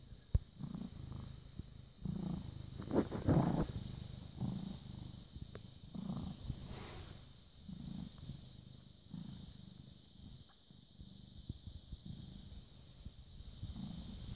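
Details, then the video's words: Purring British Shorthair cat, born August 2010, recorded late evening on 6 May 2017 while being affectionate; steady low throbbing rumble pulsing about three times a second, with occasional clicks and a brief rustle. "British Shorthair Cat purring and kiss me."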